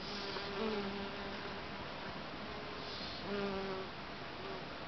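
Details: Western honey bees (Apis mellifera) flit between flowers in a back garden with late-blooming buddleia, buzzing past in low humming drones that swell and fade against a steady outdoor hiss.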